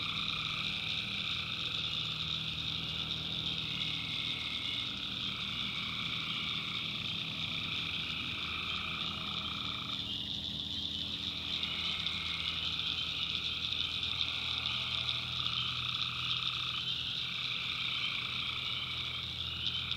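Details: Swamp at night in the North Carolina backwoods, alive with tree frogs: an unbroken high-pitched trilling chorus, mid-range droning calls rising and falling in overlapping bouts, a brief broad swell near the middle, a low hum underneath.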